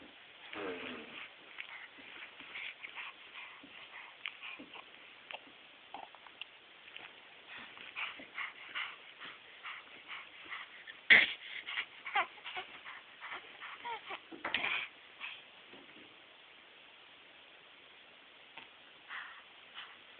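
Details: Yaretzi, a dog, slobbering and making funny noises: wet smacking and snuffling bursts with soft whimpering squeaks, a sharp louder burst near the middle, then quieter licking sounds toward the end.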